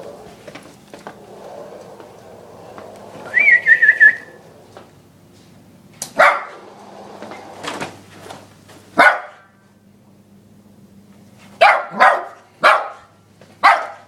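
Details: Ten-month-old Lhasa Apso x Maltese dog barking at a running vacuum cleaner indoors, filmed on an iPod; short sharp barks in spaced bursts, a quick run of four near the end, over a steady low vacuum hum.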